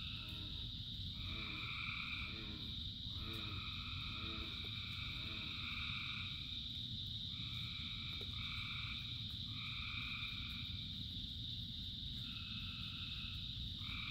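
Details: Thousands of frogs calling in the rain, a dense shimmering chorus with long trilled notes switching on and off, plus a lower rapid pulsing croak repeated several times early on, all over steady rain.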